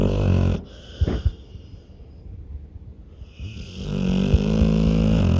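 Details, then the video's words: Pit bull deep asleep, with a low, rattling snore, a pause of soft snuffles and faint breathing, then another long, droning snore building steadily to the end. "pitbull roncando no sono profundo"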